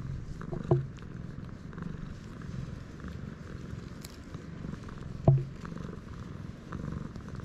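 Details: Low, even purring from a stray cat on a cat island in Japan, recorded on a GoPro HERO8, broken by two sharp knocks or bumps about four and a half seconds apart.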